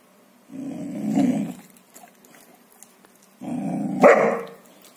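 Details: Golden Retriever guarding a bone he refuses to give up, growling twice: a sustained low harsh growl of about a second and a half, a pause, then another that ends in a sharper snarling bark.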